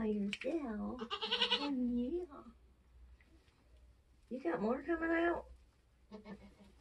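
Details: Nigerian Dwarf goats giving birth on a homestead; two long, shaky, tremulous bleats separated by a quiet pause, with brief human speech at the end.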